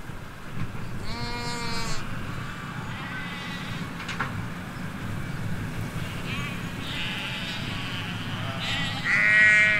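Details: Ewes and their lambs in a field in the Hampshire countryside bleat in wavering, nasal calls over a steady low rumble of outdoor noise from a nearby road.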